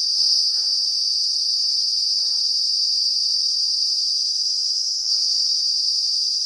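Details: A cicada in the Uttarakhand hills of the Himalaya calls with its abdomen visibly vibrating, giving a loud, steady, high-pitched buzzing drone without a break.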